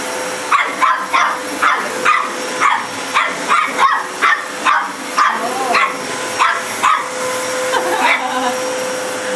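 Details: A dog barks at a running vacuum cleaner, sharp barks in quick bursts roughly every half second over the steady hum of the machine, with a person's voice urging it on.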